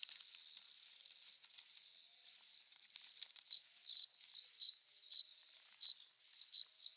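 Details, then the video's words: Courting male cricket on a summer night, rubbing its forewings to call a female: a faint, thin high trill for three seconds, then loud shrill chirps repeating about every half second. "Som de GRILO cantando | CRI CRI CRI (Cricket Singing)"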